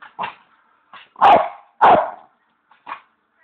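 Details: A Bichon who loves his bones gives short, harsh howling yelps, two louder bursts in the middle, asking for a bone.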